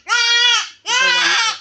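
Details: Goat during castration, bleating twice in quick succession: two loud, drawn-out, nasal bleats, each about half a second long, the second slightly harsher and wavering.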